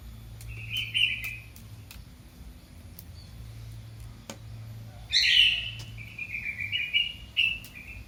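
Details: Kitten calling for its mother: a short high mew near one second, then a louder, longer run of drawn-out, slightly falling high mews after five seconds, over a low steady hum.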